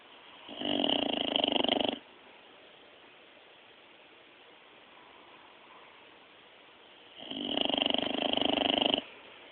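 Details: Sleeping dog snoring, recorded on a mobile phone: two long, buzzy, rattling snores of about one and a half seconds each, roughly six seconds apart, with quiet breathing between them.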